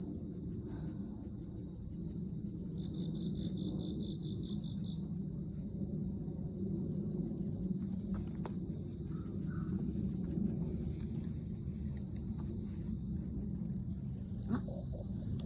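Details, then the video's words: Autumn crickets at night in Japan, 19 September 2024, 18:36, iPhone recording with a dog: a continuous high ringing trill throughout, joined early on by a second caller's rapid pulsed chirping for about two seconds, over low rumble. "Noche de otoño con mi perro y sonidos de insectos"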